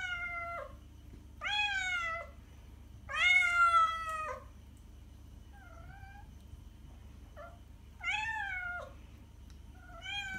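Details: Domestic cat meows meant to draw cats closer: several loud, drawn-out harmonic meows alternating with softer, brief mews, irregularly spaced, with low hum behind.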